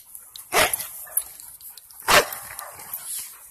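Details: Dogs playing with a ball in a park at night in 2018, a Presa Mallorquín named Mona, a Rhodesian Ridgeback named Rocky and a Labrador Retriever named Onix; two sharp, broad barks about a second and a half apart over quiet background.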